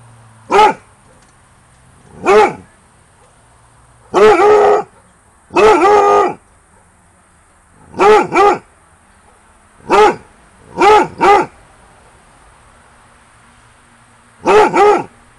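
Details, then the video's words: A Basset Hound barks at night around 22:00 near a bungalow during summer holidays, sensing activity, giving deep, resonant barks, singly and in doubled bursts, with pauses between them; its longest barking bout yet. "Max Basset Hound barks into the night"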